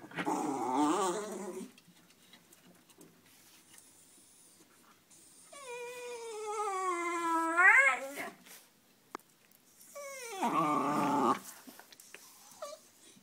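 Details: Baby toy poodle born in January, interacting with a man: several high, squeaky whimpering cries, one drawn out and rising sharply at its end, separated by quiet pauses.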